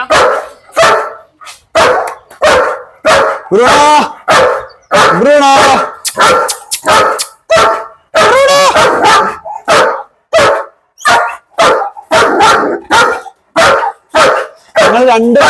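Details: German Shepherd, said to be attached only to one family member and unfriendly to others, barking repeatedly in loud sharp bursts about every second, some drawn into whining yelps, with voices talking between barks.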